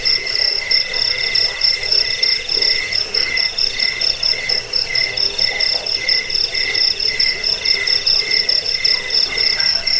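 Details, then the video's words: Several crickets trilling together in a recording for chasing off rats, sleep and bird song training: bright, rapidly pulsed high chirps, continuous, with rhythmic swells and a softer rasping layer underneath. "Suara jangkik pengusir tikus pengantar tidur"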